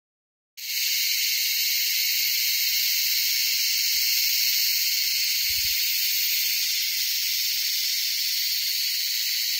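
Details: Loud insect mating calls on the Kaas Plateau, so loud it hurt listeners' ears: after a brief silence, a dense continuous high-pitched shrill hiss starts abruptly and holds steady without pause.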